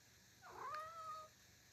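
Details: A long-haired Norwegian Forest Cat kitten, fidgeting and restless as it waits to be called: one soft, drawn-out meow rising then holding level and fading over about a second, in a quiet indoor room.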